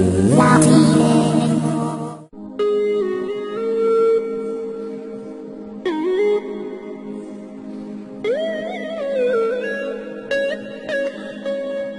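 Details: Melodic music with sustained humming or singing tones and gliding pitches, starting with a loud bright burst, and no animal voice.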